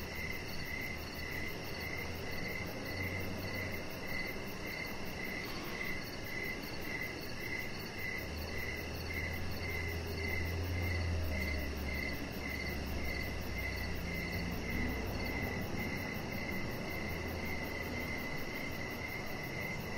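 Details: Steady cricket chirping at dusk by a deck, short high pulses repeating around twice per second throughout, with a brief low rumble in the middle and continuous faint background noise.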